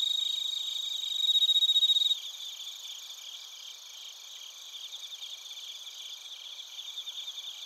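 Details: Insect chorus of bell crickets and field crickets from Narita, Chiba, Japan, captured on a TASCAM Portacapture X8; loud pulsing trill for two seconds, then softer, steadier high ringing chirps from several callers.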